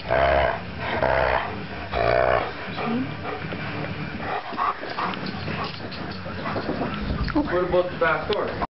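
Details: Max, a three-year-old pet Alaskan Malamute, playing: drawn-out, harmonic woo-like vocal bursts in the first seconds, then a rougher, growly mix of shorter yowls and grumbles through the rest.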